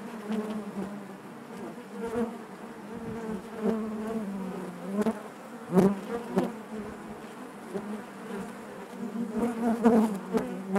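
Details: Inside a honey bee hive, a thick continuous hum of many bees, low droning tones stacked together, with sharper flares of buzzing around six and ten seconds as individual bees pass close.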